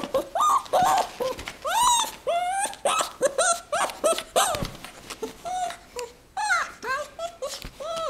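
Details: Fox named AlfRed, two years old on 22 April 2018, giving a rapid, steady stream of arching, rising-then-falling squeals, about two per second, loud and tonal with rich overtones throughout.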